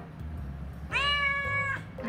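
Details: Pet cat indoors, the youngest of four household cats, giving a single steady meow just under a second long, with a faint low hum underneath and quiet background music.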